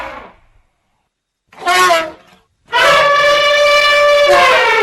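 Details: Elephant calling with a brief quavering blast, a pause, then a long, loud, steady trumpet lasting about two seconds.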